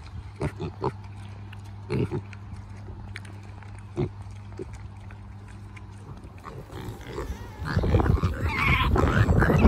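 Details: Farm Kunekune pig grunting: a few short, low, separate grunts spaced about every two seconds, then loud rustling and shuffling noise taking over near the end.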